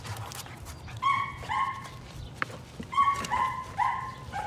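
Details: Patterdale Terrier puppies working rats in their pen, including Cricket, a little black female younger than her litter mates: five short high yelping barks in two bursts, three closely spaced near the end, over faint background rustling.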